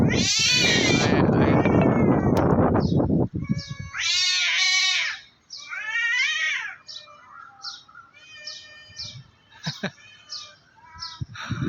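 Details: Two cats facing off on top of a tree, threatening each other before a fight; loud drawn-out wavering yowls with rising and falling harmonics, interrupted by short high calls, opening with a burst of broadband noise and some human voices.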